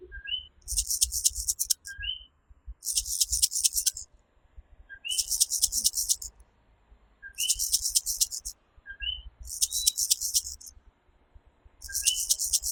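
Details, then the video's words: Puerto Rican night chorus of the tiny coquí tree frog: a two-note 'co-kee', low then higher and rising, repeated about every two seconds, alternating with loud, rasping, high-pitched buzzy bursts. "Coquí Serenade | Authentic Puerto Rico Night Sounds"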